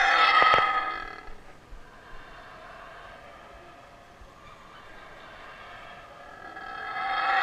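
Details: A male Yucatan black howler monkey in rehabilitation at Wildtracks, recorded up close during a feed shortly before his release to the wild, gives deep, rasping roars at the start and again near the end.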